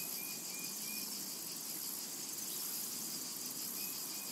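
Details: Cicadas calling in a summer meadow make a constant high buzz, with two or three brief, thin whistled bird notes near the start and end.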